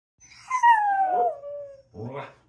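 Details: Female Siberian Husky howling on command when asked to sing: one long, smooth howl that slides steadily downward in pitch over about a second and a half, followed by a short, rougher vocal burst.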